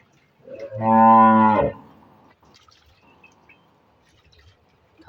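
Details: Cholistani Jersey cross cow, for sale, recorded 30 August 2023: one loud, full moo lasting about a second, rich in harmonics and steady in pitch, followed by near quiet with faint background noises.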